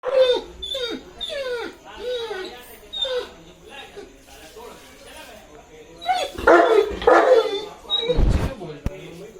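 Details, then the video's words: A 2.5-year-old male Saint Bernard eagerly waiting for his owner to come makes a weird sound: a run of falling, nasal whines repeated about every second, then a few loud rough barks near the end, with a person talking. "Saint Bernard Waiting For Owner To Come"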